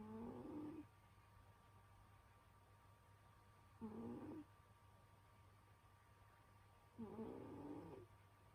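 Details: Senyora Betsy, a pet cat, snoring in winter sleep: three buzzy nasal snores roughly three seconds apart, each under a second long with a faint upward-bending whine, over a steady low household hum.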